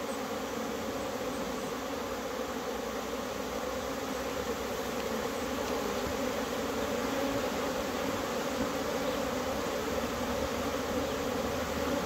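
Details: Swarm of bees in April flight after a wave of cold weather, active and agitated; continuous layered buzzing drone, low and even, swelling slightly toward the end, with no other clear sounds.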